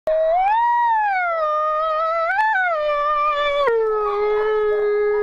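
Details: A female grey wolf at a wolf sanctuary gives a long, smooth howl that rises, wavers, then falls to a steady lower tone.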